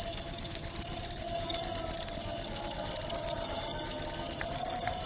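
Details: Cricket chirping on a tutor recording for white-rumped shamas (murai batu), to be played nightly and during the dewing hours: a clear, very high, rapid pulsed trill, steady and unbroken, with a faint low hum beneath.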